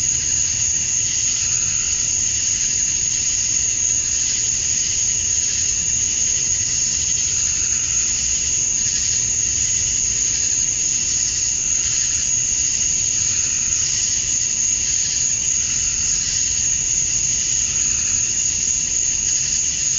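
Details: Male cicadas calling to females during summer dusk in Georgia, USA, forming an unbroken high-pitched electric buzz with a sharp sustained whistle-like tone and soft rhythmic pulses rolling through the chorus.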